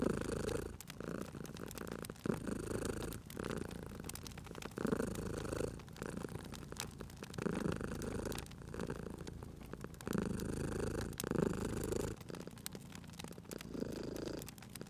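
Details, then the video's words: House cat purring contentedly near a crackling fire, the deep rumbling purr pulsing in regular in-and-out breaths roughly every second and a half, steady popping and snapping of burning wood in the background. "Cute Purring Cat at a Crackling Fireplace"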